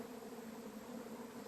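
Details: Honey bee swarm from a three-year-old queen's colony, late April: an unbroken, level buzzing drone with a low fundamental and a brighter overtone, no pauses.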